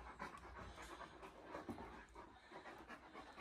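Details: Quiet, rhythmic breathy panting from male Irish Wolfhounds on a rainy walking holiday in the lakes, the puffs coming in an even series against a low background hiss.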